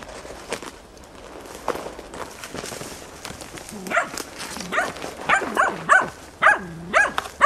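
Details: Tina, a hunting dog, bays persistently at young wild boar during training, 6 March 2013. Rustling and footsteps open the recording, then sharp, rising barks arrive in quick bursts through the second half.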